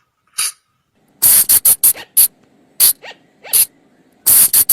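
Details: Sunda flying lemur from the forest, a sound used at night to lure the animal: harsh, sharp, hissing bursts, some clustered in quick runs of three to four, others single, separated by near-silent gaps, with faint rising squeaky notes between.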